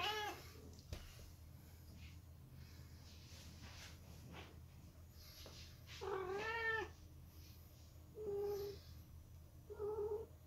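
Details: A silver British Shorthair cat, from a family of the breed, gives several short, plaintive meows, each bending down in pitch at the end.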